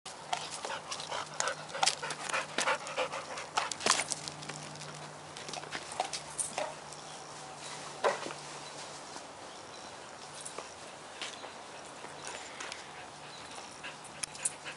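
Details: Dog panting while playing ball, with Ann Arbor dog walking and pet sitting stated as the setting; rapid breathy noise bursts, irregular and broadband, with sharp clicks and a faint steady low hum beneath.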